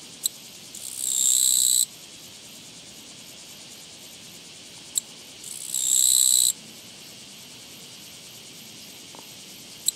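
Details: Japanese katydid met along a walking path, recorded 24 August 2017, giving two loud, buzzy, high-pitched trills of about one second each, roughly four seconds apart, with faint clicks and quiet background between bursts.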